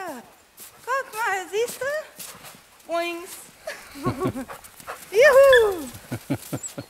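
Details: Eight-week-old puppies from a litter of seven, black, white and multicoloured, outdoors in snow, give short high squeaky whines and yips in quick wavering bursts, mixed with a man's speech and footsteps.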